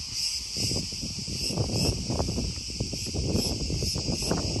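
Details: Cicadas in Crete, Greece, loud: a continuous, high, hissing buzz that pulses gently throughout, layered over heavy low rumbling noise.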